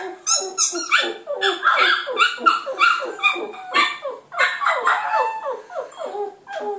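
A Border Terrier puppy howls in a rapid run of high, wavering yips and whines.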